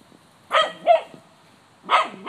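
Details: Cocker spaniel in a yard trying to scare off a white-tailed deer: two quick hoarse barks close together, a pause, then another bark starting as the recording ends.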